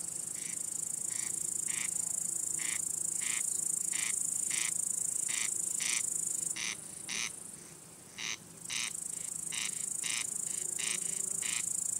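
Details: Male crickets singing to attract or court females or to scare off rival males: a loud, steady high-pitched shrill trill runs throughout, overlaid by sharp chirps pulsing about twice a second, with a brief dip near the end.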